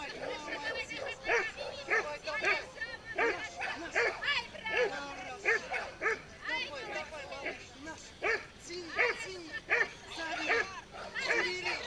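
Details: Pit bull in a tug-of-war contest at a pit bull show, giving rapid, rising-and-falling barks and yips about once a second beneath steady human chatter.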